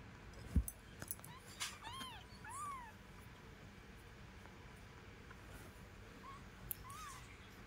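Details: Kitten with its mother cat: a quick run of thin, high, arched mews, then two fainter short squeaks later on, over low steady background hum and a few sharp knocks.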